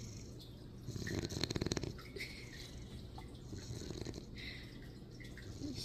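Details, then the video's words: Archie, a sleeping Shar Pei puppy indoors, snores in a loud rattling burst near the second mark, then softer breathing noise continues under a low background hum. "Шарпеи самые смешные. Громче их не храпит никто."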